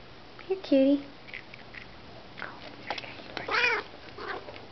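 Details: Pet cat indoors at treat time, giving one loud, short, rising-then-falling meow, followed by a person's voice coaxing the cats, with light rustling in the background.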